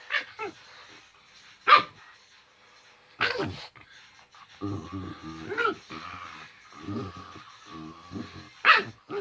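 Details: Pet male dog making its normal playing noises while staying protective of its sick owner indoors; low harmonic grumbles and short sharp bursts, broken by pauses, with faint talking in the background.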